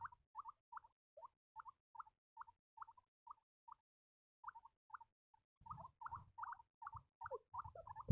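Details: Baby guinea pigs squeaking in evenly spaced short chirps, roughly three per second, a brief pause, then a busier overlapping stretch with rustling and movement sounds beneath.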